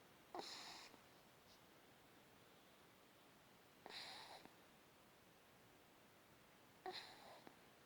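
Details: A puppy snores in its sleep indoors, giving three breathy, hissing snores about three seconds apart, each lasting roughly half a second, with quiet room tone between them.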